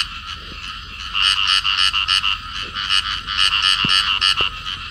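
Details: Field frogs, a pair clasped together while calling; a quieter opening second gives way to a steady series of rapid, raspy, nasal croaks, roughly three to four per second, with a couple of faint low knocks in the background.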